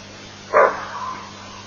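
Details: A greater kudu gives a single loud, gruff alarm bark that fades quickly, at Elephant Plains, 23 August 2008.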